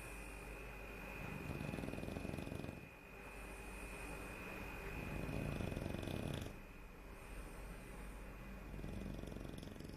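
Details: Barry the dog snoring while asleep: two stretches of low, rapidly pulsed rattling breath, each about one and a half to two seconds long, separated by quieter breathing, over a steady faint high whine in the background.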